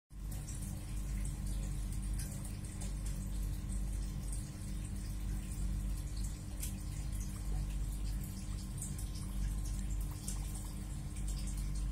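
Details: A steady low hum mixed with running, dripping water noise in a small room, with no animal call present.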